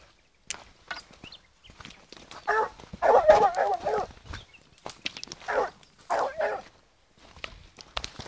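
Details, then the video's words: Fourteen-month-old female blue griffon hound working a wild boar trail outdoors, giving bursts of excited, irregular baying barks in quick clusters, separated by quieter stretches with footsteps and rustling. "LA GORA(GRIFONA azul 14 meses) en rastro jabali"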